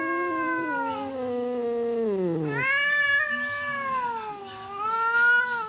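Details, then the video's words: Aggressive cat Temon facing quiet cat Lelo across a divider, growling and yowling toward a fight: a low drawn-out moan sliding downward, then a higher sustained wavering howl that swells and fades. "SUARA KUCING BERANTEM | cat fight sound effect"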